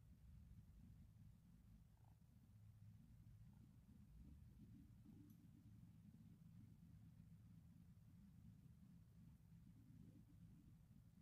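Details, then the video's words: Kitten named Zelda purring while relaxed, a steady low rumble held without break throughout, quiet and close. "Relaxation Kitty Video"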